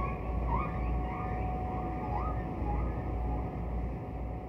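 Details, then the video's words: Distant humpback whale singing, from Roger Payne's recordings on Songs of the Humpback Whale, from a 'Bel Canto' era of whale singing: faint rising whistled upsweeps repeat about every half second over heavy low rumbling ocean noise and a steady tone. "“Distant Whale” - Songs of the Humpback Whale"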